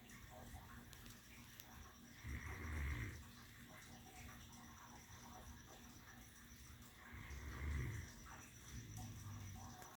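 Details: A female Great Dane lies on her pillow and snores slowly, with deep rumbling breaths about five seconds apart.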